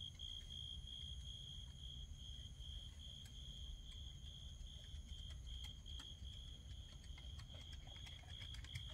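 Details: Grass insects on a night described as beautiful for their song give a steady, high, shimmering trill that carries on unbroken over a low background rumble.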